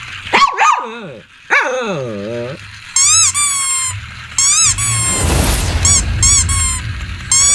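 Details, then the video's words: Shih Tzu dog barking and growling in a compilation of barking dogs: sharp yelping barks, then a run of high, harmonic whining yelps that rise and fall, with a burst of broad noise and faint background music. "Shih Tzu Barking And Growling"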